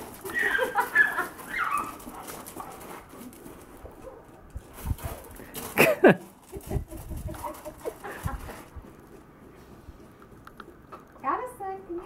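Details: Lily, a Doberman, plays in a back yard with a two-year-old, chasing and attacking bubbles. Short excited vocal bursts come near the start and again near the end, with scattered thumps and quieter stretches between.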